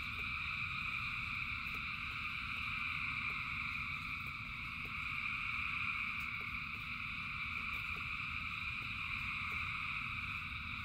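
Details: Thousands of frogs in rainfall form a continuous droning wall of trilled calls in stacked pitch bands, swelling slightly midway, with irregular faint clicks and low rain noise beneath.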